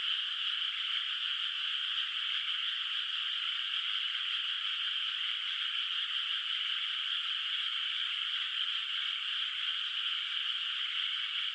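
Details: Distant frogs calling at night across a moonlit countryside rice field whose water is not yet planted; a dense, unbroken chorus blends into a steady high shimmering trill, with no other sounds.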